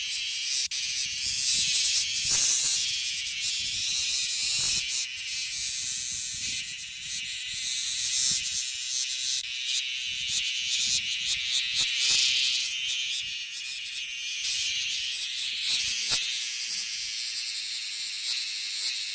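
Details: Male bear cicadas, many in the trees of a park in the Kansai region of Japan, singing a loud, continuous, hissing buzz that swells and fades slightly, with faint low rustling and handling noise beneath.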